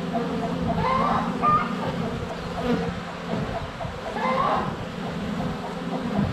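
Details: Honey bees in flight at a hive entrance on a sunny February day, recorded with a GoPro less than a foot from the hive, some bees landing on it. A steady low drone runs throughout, with louder buzzes swelling and fading as bees pass close.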